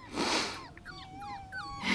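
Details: Two awake five-week-old puppies, freed to play: high, thin whimpers that glide downward and then hold a long, level whining note, with a breathy noise at the start and a short squeak at the close.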